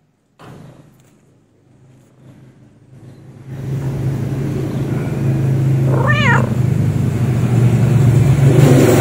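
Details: Stray domestic cat purring: a low, rapid, even rumble that grows louder and fuller after a few seconds and continues steadily, with one short wavering mew partway through.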